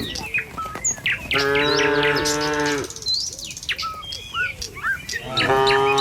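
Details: A herd of tame cattle travels a village road toward the pen one morning. A sustained, steady moo is followed by a quieter gap filled with bird whistles, then another moo begins at the end.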